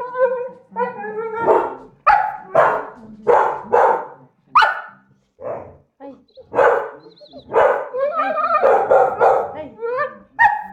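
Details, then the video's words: A Staffy begging for leftovers from a dinner plate left on the table gives a run of short, rough barks and yips, roughly one a second, mixed with whiny moans and background talk. "staffy making strange noises, barking, begging for leftovers"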